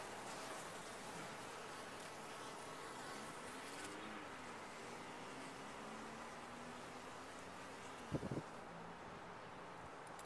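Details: Honey bees in a top-bar hive, a steady broad hum of many wings with a few faint gliding tones of individual bees passing, and a brief knock near the end.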